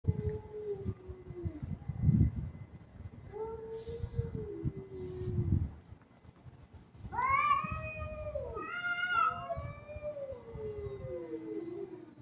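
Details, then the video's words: Kitten in an aggressive mood giving several long meows, some low and drawn-out, others higher, rising and falling in pitch, with faint low rumbling background noise between calls. "Cat sound meow || Kitten"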